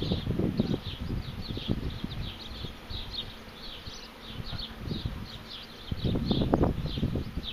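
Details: Honeybee swarm settling into a bait hive in 2015: a low, steady droning hum under gusty low rumbles and thumps, with faint, quick high chirps repeating throughout.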